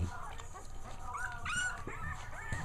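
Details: Puppy named Manny, two weeks old, indoors at home while another dog, Maddie, cleans the carpet; thin, high whimpering whines rising and bending in short harmonic sweeps over about a second, with a person talking in the background.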